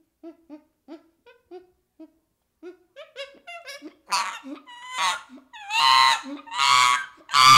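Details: Baby chimpanzee calling: soft, low hoots repeated about every half second grow faster and higher, then break into loud, harsh screams near the end.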